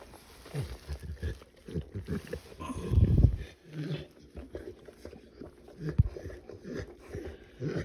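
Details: Cane Corso female named Catalina, indoors, giving birth and pushing out her fourth puppy after three already born; low, throaty grunts and strained groans come in bursts, the loudest near three seconds, with rustling around.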